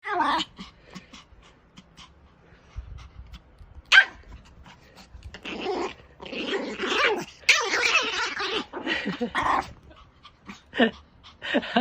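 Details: Small pet Pomeranian, angry and guarding its owner, growling and barking indoors: bursts of harsh, noisy snarling separated by quiet gaps, with a sharp yap near the start and longer rasping growls later.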